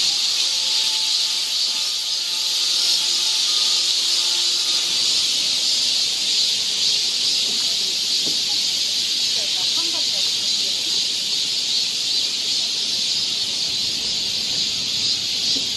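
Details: Cicada chorus on a summer forest trail in Seoul, Korea: an intense, even, sizzling drone throughout, faint steady low tones early on, then soft scattered knocks and distant murmurs later.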